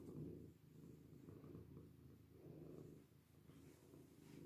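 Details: Purring domestic cat settled in a washbasin; deep, steady rumble rising and fading in slow breath-paced waves about every one and a half seconds, quiet room otherwise.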